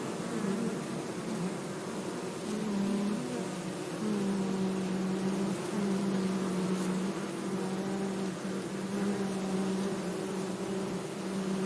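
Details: Bee buzz with a clear humming tone that slides up and down in pitch as the insect moves, over a steady low background drone.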